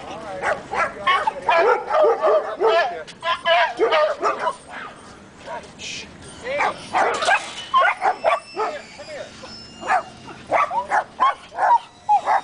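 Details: Dogs at a morning dog park, eager for cookies from a familiar visitor approaching, give quick overlapping barks and high yips in uneven bursts while people talk nearby throughout.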